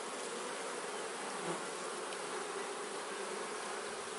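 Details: Honey bees kept in a man-made hive, their colony giving a steady, dense buzzing hum that holds level throughout, with a warm band in the lower-middle range and no other sounds.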